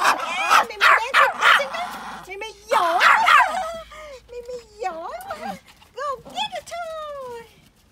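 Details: A Pomeranian barks outdoors in fast bursts of high yaps, then shifts to long wavering whines and whimpers that rise and fall before fading out.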